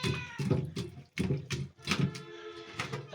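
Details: Hungry cat waiting for food meows in a string of short harmonic bursts, roughly one each second, while a woman talks to it in Bengali, calling it sweetheart and telling it to wait.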